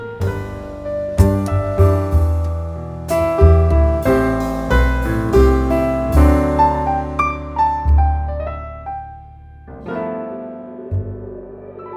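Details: Solo piano music plays throughout, with chords and melody notes and a brief pause near the tenth second; no animal is heard.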